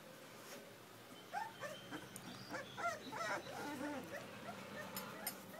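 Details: Puppies give short, high, wavering whimpers in a quick run of bent, rising and falling cries, with soft human speech in the background.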